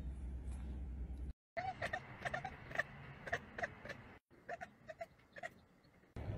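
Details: Domestic cat chattering on spotting a squirrel, short clicky bursts repeated in quick irregular series with brief gaps, alongside a person's laughter and low background rumble.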